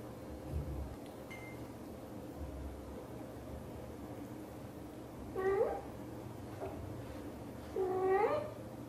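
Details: British Shorthair mother cat, blue golden coat, talking to her kittens indoors; two clear, bending meows about two and a half seconds apart near the end, each rising then falling, with a faint high chirp earlier and a low hum.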